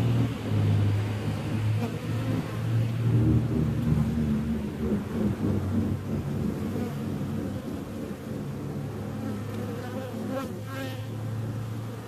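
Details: Loud droning buzz of bees, strongest and most tonal in the opening seconds, then settling into a rougher, wavering hum, with a brief rasping burst near the ten-second mark.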